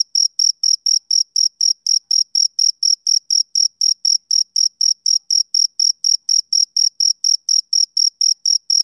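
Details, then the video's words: Male cricket calling through a summer evening with a long, regular train of sharp, high chirps near four per second, steady in pitch and volume, no other creatures or noise present. "Cricket Chirping Sound Effect"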